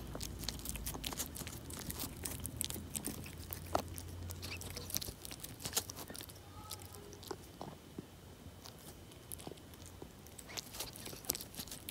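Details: Close crunching and biting of treats in rapid irregular bursts in a small room over a low hum, with no animal voice.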